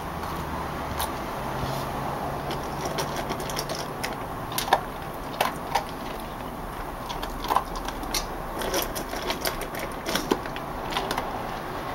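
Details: A constant room hum carries rapid mechanical clicking and tapping, like a machine, with sharper knocks every second or so and no animal voice.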